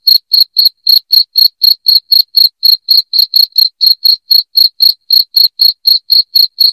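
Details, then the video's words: Shrill cricket chirps used to repel rats indoors, evenly spaced high clicks at roughly four per second, continuous and clean with nothing else audible. "SUARA JANGKRIK NYARING PENGUSIR TIKUS"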